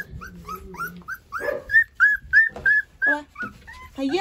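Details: Rottweiler puppies, one of a litter of eleven, whimper hungrily for food during deworming: repeated high arched whines about every third of a second, overlapping a woman's speech and low clattering.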